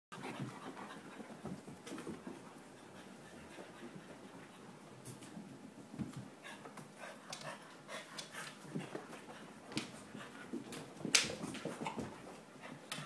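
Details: English Bulldog puppy playing in a living room: rapid, breathy panting and snuffling throughout, mixed with scattered thumps, clicks and scuffling from the play.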